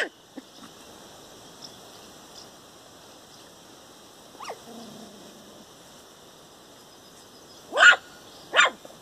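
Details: A four-week-old puppy playing outdoors barks at a tree. Mostly quiet at first, with faint soft whines in the middle. Then two sharp, loud barks land close together near the end.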